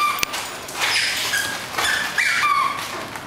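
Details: A Bull Terrier playing energetically at home gives high, squeaky whines and yips in short bursts.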